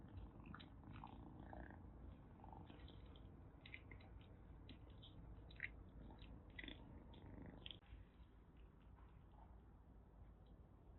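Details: Rescued kittens in Kagoshima, Japan, including a calico kitten about one and a half months old taken in just before a typhoon, settle to sleep after rough play; a steady low rumbling purr runs throughout, with scattered light clicks and rustling.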